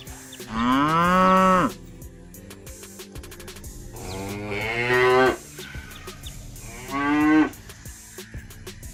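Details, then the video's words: Three separate moos from village cattle, each a loud, rounded bellow that bends up then down, the first strongest and the last shortest, separated by low background rumble. "Village Cows Sound Effect- Cow Mooing"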